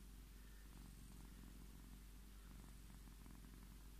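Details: Scottish Fold cat seeking petting, purring in a low, even, pulsing rumble over four seconds with soft breath-timed variations and a quiet background.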